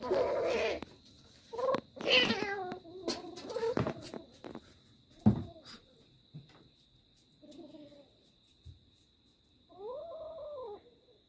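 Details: Little kitten holding on to its prey, giving several drawn-out, wavering yowls at moderate pitch, some short and clipped, with clattering knocks and thumps between calls and a steady high electrical hum behind.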